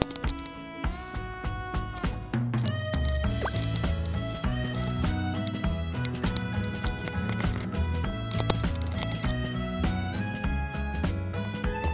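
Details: Steady instrumental music with a strong bass line plays throughout, and no animal voice stands out.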